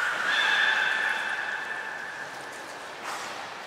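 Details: Training session with belugas Nana, Mirai and Niko, Port of Nagoya Public Aquarium, 11 January 2021: a long steady harmonic-rich drawn-out tone slowly fades, followed by a brief softer burst near the end.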